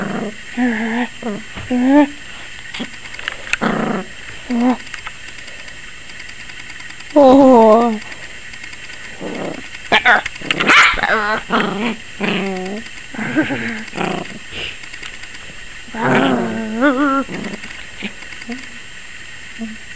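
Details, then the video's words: ['Yorkshire Terrier puppy aged 21 weeks, seemingly frightened of the camera, giving scattered high yaps and whiny barks over twenty seconds while a woman talks to it.'] "Yorkie Puppy 21 Weeks Barking like CRAZY!"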